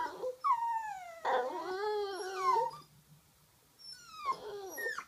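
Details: Pet Toy Poodle frustrated that nobody will play fetch, giving drawn-out whines that slide downward, then a rising-and-falling howl-like whine, a pause, and another descending whimper.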